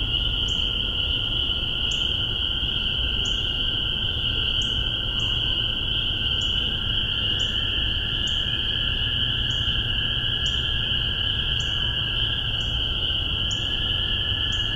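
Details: Chorus of spring peepers recorded in spring 2015 in Massachusetts with a spaced pair of MXL 603 omnis and a Tascam DR-40: clear single rising peeps spaced irregularly, about one per second, over an unbroken high-pitched background trill.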